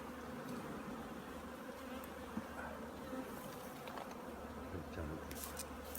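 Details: Overwintering preparations at a honey bee apiary: a crowd of bees hums in a steady, textured buzz throughout, with faint clicks and a low background hum.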